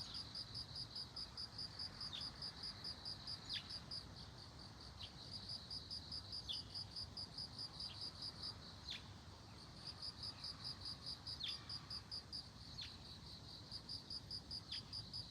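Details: Bell cricket among globe amaranth flowers sings long trains of rapid, bright, high-pitched pulses broken by brief pauses, while faint short descending clicks sound now and then over quiet background noise.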